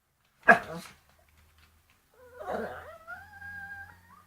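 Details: Pet dog vocalising at a bone: one loud, abrupt bark, a second of quiet, then a rough growly onset turning into a thin, steady whine that rises at the end, with a faint low hum underneath.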